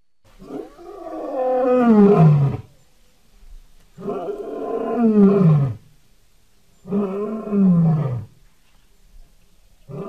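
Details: Lion, July 2016 recording: drawn-out moaning roars that slide downward in pitch, each lasting about two seconds, repeated roughly every three seconds with quiet breaths between.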